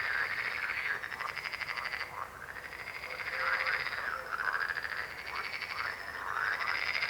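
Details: Many frogs croak at once, rapid rasping pulses rising and falling in rolling waves, with brief dips in the din roughly every two seconds.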